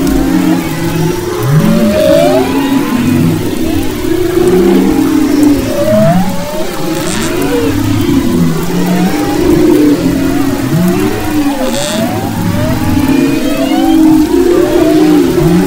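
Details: Humpback whale vocalizations recorded off Maui's west coast in February 2011: many short upswept and downswept cries and moans, overlapping in a busy chorus above steady low-frequency rumble, with brief faint clicks.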